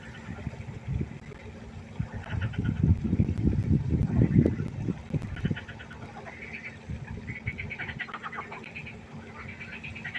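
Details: Pond frogs at night keep up a dense chorus of buzzy, rattling croaks from many animals, over heavy low rumbling in the first half.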